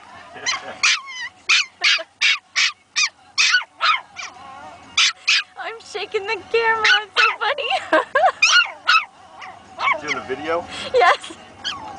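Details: Two Pomeranian puppies, a female and a male, barking at each other in their first bouts of barking: rapid series of high, sharp yips, some wavering and whiny, with a person talking and laughing softly.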